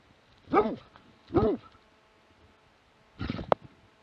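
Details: Plott hound recorded in Latvia in 2017, with two separate arched, rising-then-falling barks about a second apart, then a rougher, noisier bark after a pause.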